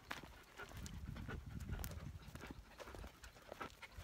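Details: Standard poodle puppies, 13 weeks old, out walking on a hiking trail; quick rhythmic breathy panting bursts over low thudding steps and scattered sharp clicks.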